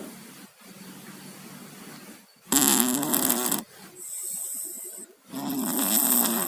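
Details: Snoring from sleeping pet cats Tayen and Lilu, who have colds: quiet breathing broken by three loud, harsh, congested snores, each lasting about a second, with a hissy rattle.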